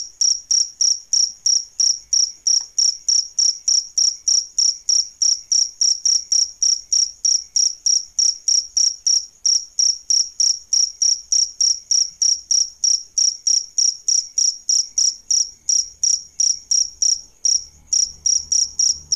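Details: Adult male and female crickets used for training songbirds chirp steadily in a long, even run of shrill pulsed notes, roughly three per second, on a clean quiet background with faint low rumble near the end.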